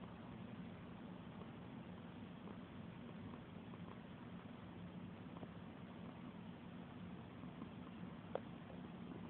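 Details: Domestic cat purring while being petted indoors: a steady, low, continuous rumbling purr throughout, quiet and even, with one faint click near the end.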